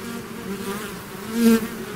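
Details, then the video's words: Bees swarming out of their hive, a thick continuous hum of many wings with one louder bee passing close to the microphone near the middle, its buzz briefly swelling and fading. "bees therapy swarm natural buzzing sound"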